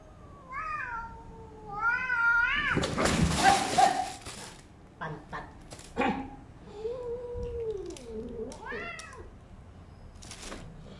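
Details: Domestic cats Comot and Putih fighting after Putih is brought into Comot's new house: wavering, rising-and-falling meows and yowls, a loud burst of hissing and scuffling, then a long low drawn-out moan and further yowls, indoors.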